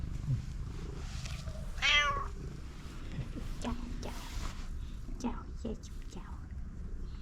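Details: Cat living on the street, meowing and begging for food: one loud, short, slightly descending meow, with a woman and a man talking affectionately to the cat and soft handling noises around it.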